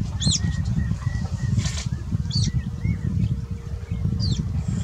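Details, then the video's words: Otters alarm calling after being startled by a crocodile as they entered the water, chasing it away; sharp high squeaky chirps, arched in pitch, sound at intervals of about a second over a heavy, constant low rumble. "Otters upset with a Crocodile alarm calling"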